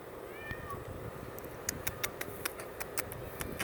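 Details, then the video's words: A cat gives one brief, faint, wavering meow near the start, then a run of sharp scratching clicks over a steady background hiss. "Weird cat noises"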